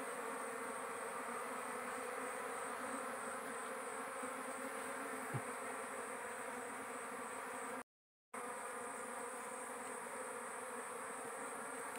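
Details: Giant honey bees (dorsata) at a small wild forest nest found during a hunt and harvested for honey; a steady, dense droning hum runs throughout, even in tone, broken only by a brief silent gap near the end.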